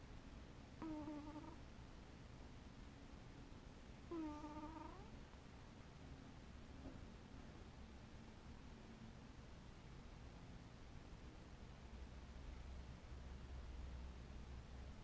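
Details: Sleeping house cat giving two quiet, brief mewing murmurs a few seconds apart near the start, followed by faint low rumbling and near silence against a constant low background hum.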